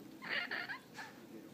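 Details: Nemo the cat complaining and talking back, refusing to go upstairs: a drawn-out two-part meow with a brief break in the middle, followed by a short softer cry, with a person urging it to go up.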